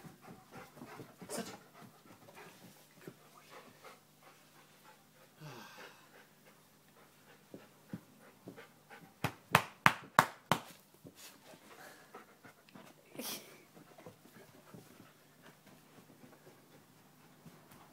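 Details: Murphee, a retriever, playing with dad indoors: quick rhythmic dog panting and sniffing throughout, with a burst of sharp loud breaths near the middle and a brief human voice.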